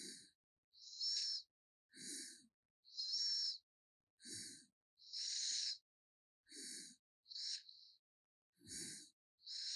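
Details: Sleeping pet raccoon 개똥이 gives loud, airy snores: regular rasping hisses, some with a faint whistle, repeating about once a second in a quiet room.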